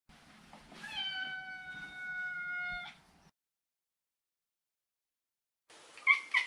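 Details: A neutered male Maine Coon kept as a pet gives one long, drawn-out, steady meow lasting about two seconds, followed after silence by a short noisy sound.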